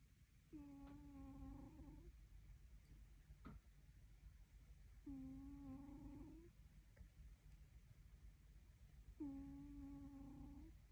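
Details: Dog snoring after a big meal: three drawn-out, humming, whistle-toned breaths about 1.5 seconds each, roughly four seconds apart, with quiet low rumble and faint clicks in between.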